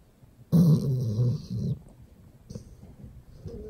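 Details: A Golden Retriever sleeping in its owner's arms gives one deep, rattling snore, followed by softer breathing.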